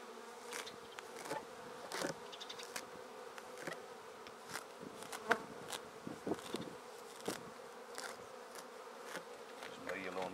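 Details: A honey bee swarm moving from a tree into a swarm basket drones steadily. Scattered clicks, knocks and handling noises repeatedly break over the even hum.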